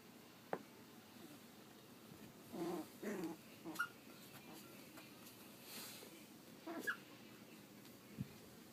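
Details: Pug/Dachshund mix puppies, three and a half weeks old, make a few soft low whimpers and small squeaks in short clusters, separated by quiet pauses and faint shuffling.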